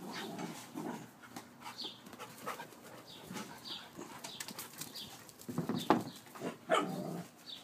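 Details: Siberian Husky at play, giving short, rough, low growling barks and grunts in irregular bursts, louder toward the end, while small birds chirp high and steadily in the background.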